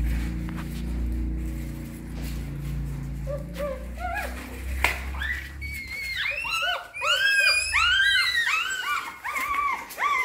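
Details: Hungry newborn puppies cared for by their mother dog: after a low muffled start, loud, rapid arching squeals and whines pile up in a busy overlapping chorus.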